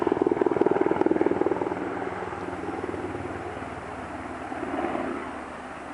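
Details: Steady mechanical drone of an engine, like a helicopter or propeller aircraft, pulsing rapidly and fading slightly over the seconds, with no animal voice heard.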